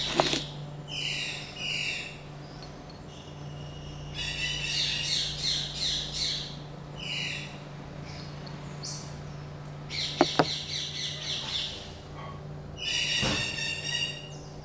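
Common marmosets give high, thin chirping and squeaky calls in quick bursts over a steady indoor hum.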